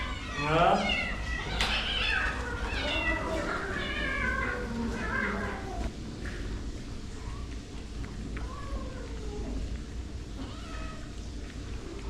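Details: Stray cat cared for by a street-cat rescue, facing a vet visit instead of promised food, gives a burst of loud, arching meows in quick series, fading to softer, sparser mews while a person talks indoors.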